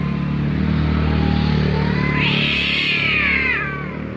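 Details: Two cats making funny noises: a long wavering meow sliding upward then arching down over about three seconds, over a steady low engine-like hum.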